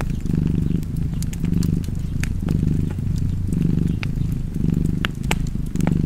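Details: Domestic cat purring steadily beside a fireplace, a low rumbling throb that swells and fades about once a second with each breath, while sharp wood crackles and pops snap over it.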